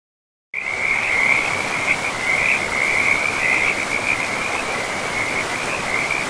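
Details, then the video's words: Frogs calling beside a river deep in a pristine forest; a dense, continuous high-pitched trilling chorus that wavers steadily over a broad hiss of flowing water. "River and Frogs sleep sounds"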